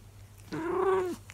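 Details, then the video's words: A 24-year-old calico cat speaking to its owner indoors lets out a single steady meow, held level for about half a second before dropping off, over low room hum. "The Long Howl - longest cat howl yet - Monkey the 24 year old Calico cat"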